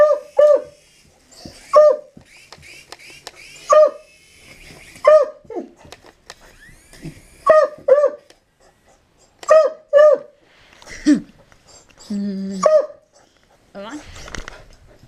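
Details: Dog barking at a helicopter: short, sharp, mid-pitched barks, often in quick pairs, repeated every one to two seconds with brief pauses between bursts; faint human voice heard between barks, no helicopter noise evident.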